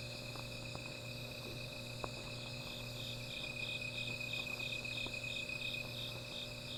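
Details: Night-time insect chorus near a small fire: continuous high ringing trills, with one higher band pulsing in quick regular beats through the second half, over a low steady hum and scattered faint crackling clicks.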